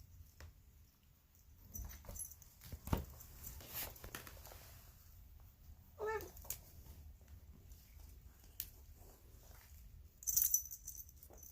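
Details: Polydactyl female cat, said to sound grumpy and strange, gives one short wavering nasal call with stacked tones at about six seconds, over a quiet low purr, with scattered rustling and tapping noises.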